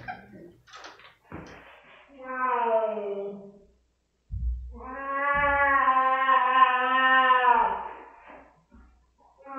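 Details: Rosetta, a pet cat reacting badly to a spot-on flea pipette treatment, gives drawn-out, harmonic-rich moaning yowls, a shorter falling one followed by a long sustained wail, with brief human voices and thumps before.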